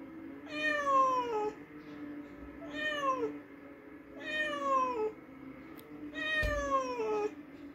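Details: Cat vocalizing after a mouse hunt: four evenly spaced descending meows roughly every two seconds, one soft thump near the end, and a continuous low electrical-sounding hum.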